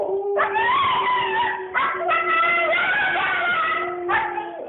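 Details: Female Siberian Husky in an agitated outburst, as she often is on walks, producing long wavering howl-like wails with a rich, nasal tone, held over several seconds with brief breaks. A steady low voice hums underneath.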